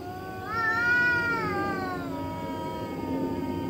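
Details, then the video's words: A single drawn-out cat yowl in the middle of the night, swelling quickly to a held, strained note and then easing down into a quieter, trailing moan over low background rumble. "Cat Making Spooky Noises Middle Of Night"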